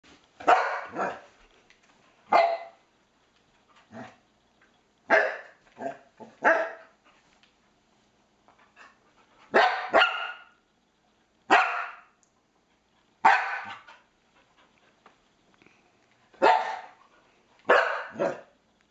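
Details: Pet Norwegian Elkhound indoors barking at a game console pointer: sharp broadband barks, often in doubled or tripled bursts, spaced irregularly every one to three seconds across the clip, with quiet gaps between.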